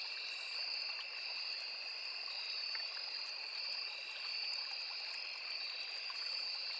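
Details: Crickets in a forest beside a small river: an unbroken, steady high-pitched trill in two bright layers holds evenly throughout, over a soft rushing murmur of flowing water.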